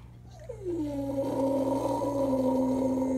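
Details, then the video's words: A 6.5-year-old male standard American Eskimo Dog howls mournfully for two house siblings who died, while watching an old recording of the three howling together: one long howl sliding down, then held steady, over a low constant hum. "American Eskimo Dog howls mournfully for his house siblings who passed away"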